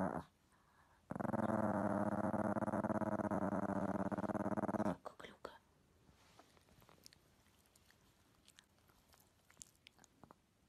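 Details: Chihuahua growls in one sustained, rough, vibrating rumble lasting about four seconds, then faint rustles and small clicks in a quiet room.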